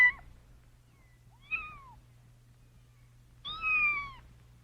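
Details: Baby cat calling: the tail of one meow, then a soft, short cry, and finally a longer, stronger drawn-out meow that slowly falls, over a quiet background hum.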